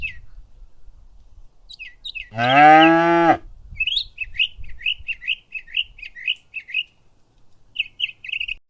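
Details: Cow foraging in a green meadow pasture gives one strong, even moo lasting about a second; afterwards small birds keep up quick, repeated high chirps in an otherwise quiet countryside setting.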